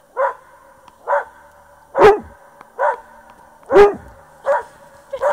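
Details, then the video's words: Repeated dog barks aimed at an echo, short and ringing with a clear tone, about one per second, two of them louder and rougher, in an otherwise quiet setting. "Barking at echo"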